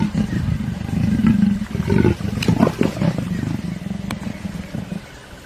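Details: African leopard giving a continuous low, rough, rasping growl that surges and fades in uneven pulses for over five seconds, loudest in the first half and tapering off at the end.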